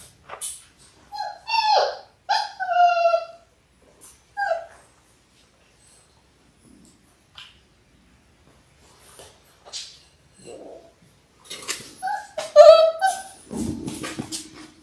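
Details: Six-week-old Labrador Retriever puppies, a litter of six born January 18, 2022, on an indoor puppy cam: high, wavering whimpers and yips in short bursts early on, a long quiet stretch, then a louder cluster of whines and a scuffling thump.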